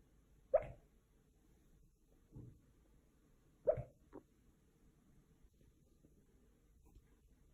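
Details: Dog sneezing while asleep, two crisp explosive bursts a few seconds apart, each followed by a softer snuffle, over a low steady background hum.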